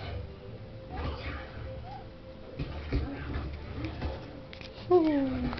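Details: Noodles, a pet cat, grows excited as a Kinder Surprise egg is taken out. Quiet room sounds and soft rustling lead up to a single clear, falling, drawn-out meow near the end.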